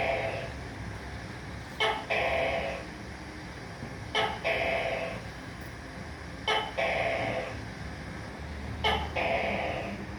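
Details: Four evenly spaced calls from a tokay gecko, roughly every two and a half seconds. A snapping click comes first, then a longer reedy, buzzing syllable that fades downward. Faint background hum.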